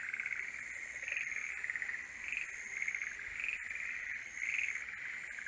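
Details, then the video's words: Mating-season chorus of forest green tree frogs: short bursts of rattling croaks recur about every second over a continuous frog murmur, and a faint high tone sits above. "モリアオガエルの鳴き声(Forest green tree frogs are singing)"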